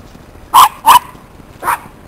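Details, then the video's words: Two wolfdogs, Wayah and Rowen, playing together in a yard; three short, sharp yipping barks, the first two close together and the third after a brief pause. "Wolves Wayah and Rowen Play"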